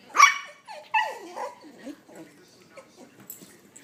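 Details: Puggle. Two bright, high-pitched puppy barks open the sequence, each sliding downward, then fade into softer yips and whines. A person's voice can be heard talking to the young Puggle in the background.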